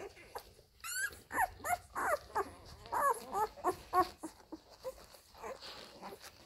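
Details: Nursing Labrador Retriever puppies of the F litter at their mother Molly, one small pup with a grey collar; short, bouncy squeaks and whimpers come in rapid clusters, with a brief high squeal near the start over soft background noise.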